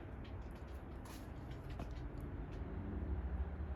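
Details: Only low rumbling, vehicle-like noise with a few faint high ticks, and no animal voice.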